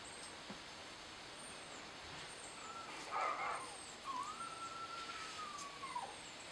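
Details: Scared kitten calling out for its mother: a short rough cry, then one long, drawn-out, slightly rising then falling mew lasting about two seconds, quiet against a hiss, with thin high chirps repeating faintly throughout the background.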